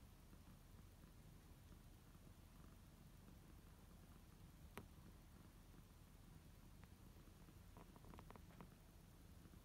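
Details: Kittens relaxing in their own beds, one named Hinoki kneading, purr softly with a steady low rumble throughout, a quiet indoor background with a single sharp click midway and a few faint taps near the end.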